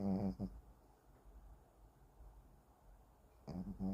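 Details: Sleeping Shih Tzu Kim Simon gives a short rough snore, falls quiet for about three seconds, then starts another rasping, buzzy snore at the end; a calm indoor setting with no other sounds.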